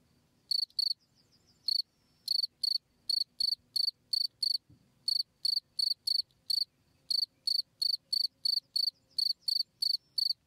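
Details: Cricket chirps used as a tutor sound for songbirds: a few scattered shrill pulses at first, then a regular run of bright chirps about three per second, with faint low background noise.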